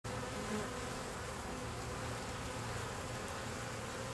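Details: A deformed bee: a low, steady buzzing hum that wavers and breaks off in short stretches, set under a constant loud hiss of background noise for about four seconds.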